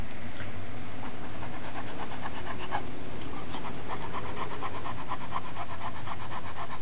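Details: Cerberus, a Great Dane x St Bernard mix dog indoors, pants steadily in quick, even breaths while chomping on a big dog pretzel, with scattered crunchy chewing clicks over a low room hum.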